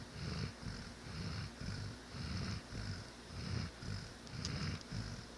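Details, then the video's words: Pet dog Scrub snoring quickly while deeply asleep; throaty low rumbles rise and fall roughly every second in an even cycle, with a brief faint click near the end. "The snoring of my dog that woke me up."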